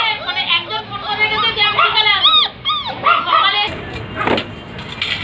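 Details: Several Labrador Retriever puppies in Barrackpore, West Bengal, black and chocolate, squeal in quick arched whines and yips for nearly four seconds, then quieter as voices and a short burst of music take over.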